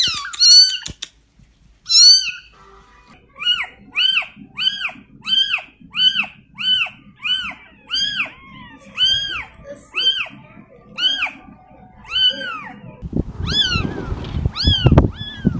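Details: Kitten meowing in a rapid, steady series of short arched mews about every half second, high and thin, ending in a burst of rustling noise.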